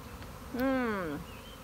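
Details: A swarm of honey bees, March 26, after days of rain, roars as a bee's low, rich buzz swells and fades passing close by.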